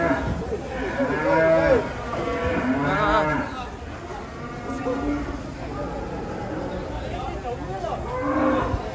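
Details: Agitated cattle, three cows unloaded from a truck and hard to control, bellow repeatedly in rough, harmonic moos of uneven length, some pitched up and strained, with people talking and knocks in the background.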